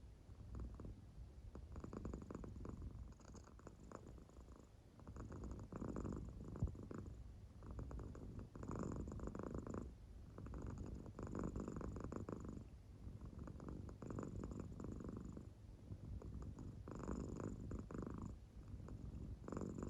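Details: American Shorthair cat fast asleep indoors, purring while it snores; low rumbling bursts rise and fall rhythmically about every two seconds, each breath a grainy, pulsing purr.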